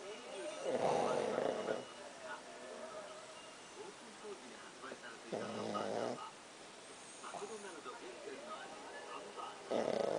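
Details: Pakkun the dog snoring: broad, raspy snore bursts near the start, middle and end, roughly every four to five seconds, with people talking quietly between them.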